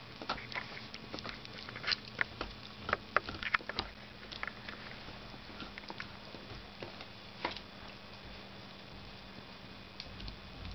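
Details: Female dachshund chewing a new rawhide bone in the Christmas holiday season, with a flurry of loud crunching clicks early on that thins to occasional soft bites and quiet pauses.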